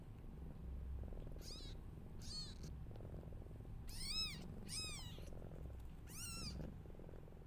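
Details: Newborn kittens calling loudly as their mother is unwell; five bursts of shrill, arching mews come roughly once a second, several voices stacked together, over a faint low hum.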